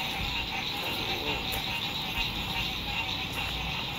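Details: Frogs singing at sunset beside a lake at an RV campsite in spring 2021: a dense, continuous, trilling chorus sits high in pitch and holds steady throughout, with a faint low rumble underneath.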